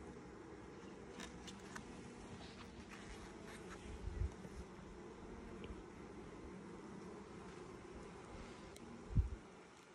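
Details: Colony of honey bees at a first hive inspection in 2020, six days after nucs were installed, giving a dense, deep continuous buzzing drone with scattered faint clicks and a thump near the end as frames are handled.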